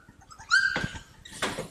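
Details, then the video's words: Cane Corso puppies, growing playful and developing their own personalities, give a single high, clear yip that slides slightly upward and is followed by a couple of softer scuffling noises. "Bunch of Yipping Puppies!"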